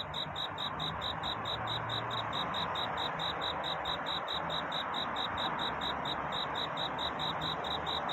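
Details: Night-time cricket courtship song: evenly spaced, high ringing chirps at a steady rhythm, laid over a constant broad rushing hiss that nearly masks them.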